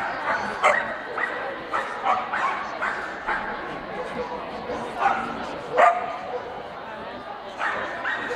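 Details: Swedish Vallhunds in the best male ring at a breed special show, Strängnäs, Sweden, 15 March 2015: sharp, short barks burst out repeatedly, roughly every second or two, some in quick pairs, amid indoor murmur and people talking.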